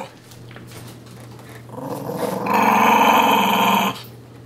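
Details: Sonny, a pet puppy, growls during play with his dolphin pillow pet inside a small room; quiet start, then a rising growl swelling into a loud, harsh stretch before cutting off, with a steady low hum underneath.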